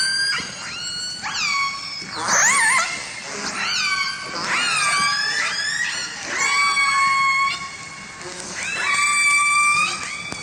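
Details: Killer whales from Vancouver, living in families where each family has its own distinct group repertoire: a series of loud, harmonic calls with sharp upsweeps and downswept tails, some held as steady tones, about seven calls in ten seconds.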